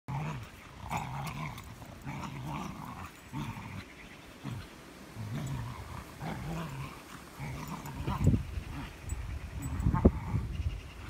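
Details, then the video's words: Two spaniels, a working cocker spaniel and an English springer spaniel, playing with one stick: low rumbling growls in repeated bursts, with panting and rustling between them. "Two spaniels one stick"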